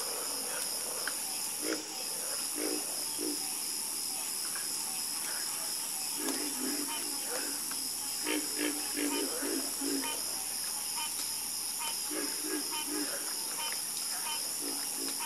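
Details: Frog chorus of quick low croaks, several callers overlapping in bursts then thinning out, set against a persistent high, even insect hum.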